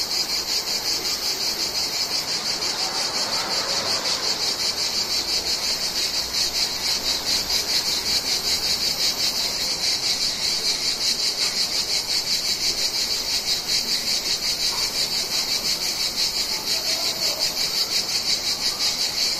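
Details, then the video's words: Cicadas singing: a dense, continuous, high-pitched buzzing drone that pulses rapidly and stays steady throughout, with no other clear sounds. "cicadas, cigales sound effect"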